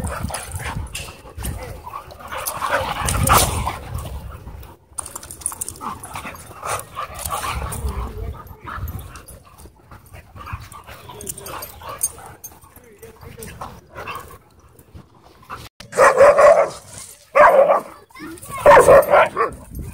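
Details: Dogs playing together at a dog park: a rough, low rumbling scuffle through the first half, then three loud, harsh bark bursts close together near the end, with faint voices in the background.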